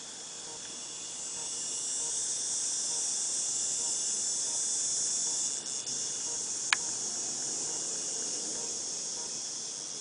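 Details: Cicadas in August 2018 produce a constant high, sizzling buzz that swells slightly after the start, broken only by a brief sharp click near the seventh second.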